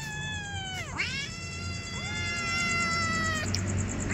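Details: Meows of hungry kittens: a dipping cry flows into a long level meow, and a second voice overlaps with a softer, rising-then-falling meow, over a faint high electronic whine.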